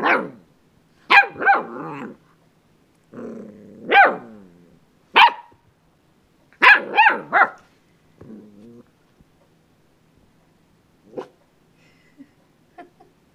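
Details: Indoors, the dog Jake plays with the doorstop, giving clustered sharp barks mixed with throaty growls in irregular bursts, quieter yips trailing off toward the end.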